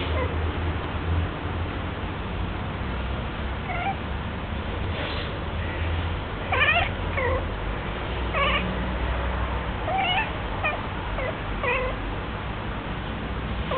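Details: Minnie, a pet cat going through her first heat, calls in a run of about six rising-then-falling yowls from midway on, each short and strained, above a constant low droning hum.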